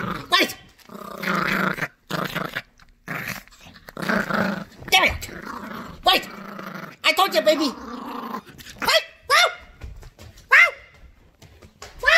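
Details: Sassy, protective female Yorkshire Terrier puppy playing tug-of-war indoors over a new squeaky toy: rough, buzzy growls in bursts across the clip, broken by sharp high toy squeaks, with people talking and laughing nearby.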